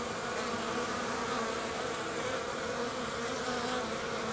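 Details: Hygienic honey bees at a hive entrance south of St. Paul, Minnesota, on a 50-degree March day, removing their dead; a steady, dense buzzing hum with many overlapping wingbeats throughout.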